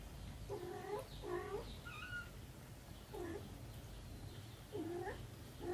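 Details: Mother cat with her kittens, still nursing though their paws are growing bigger; repeated short kitten-like meows with clear stacked harmonics, in pairs near the start and again near the end, over a steady low background hum.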